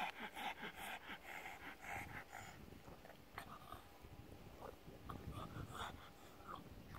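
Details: Pug lounging in the sun on a deck chair, excited by petting; rapid rhythmic panting bursts, about two per second, with snuffling breaths and a soft squeak later.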